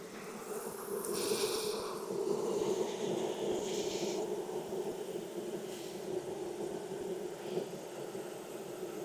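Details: A strong, even drone of many honey bees at an opened hive in Texas, inspected on a hot day of about 92F after three weeks of rain. The buzzing holds steady for the whole stretch, with faint rustling above it.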